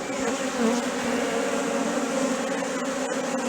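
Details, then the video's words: Steady humming buzz of bees at Valderejo nature reserve, an even layered drone with gently wavering pitch as individuals pass, holding for the whole stretch without pauses. "Erleak Valderejoko parke naturalean / Bees at Valderejo nature reserve"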